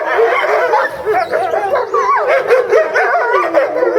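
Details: Eastern timber wolves at a Japanese zoo in February, family group calling while one female is kept apart during breeding season; a dense tangle of short yipping, wavering yelps and whimpering notes from several animals.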